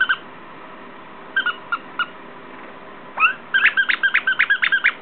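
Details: Three female Shorkie puppies, a Shih Tzu and Yorkie mix three and a half weeks old, playing together: a few short high squeaks, then a quick run of about ten sharp, evenly spaced yelps over steady background hiss.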